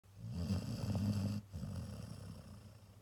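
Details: A Cocker Spaniel snores after a heavy weekend of walks, in low, rough, rattling breaths that fade after a strong opening.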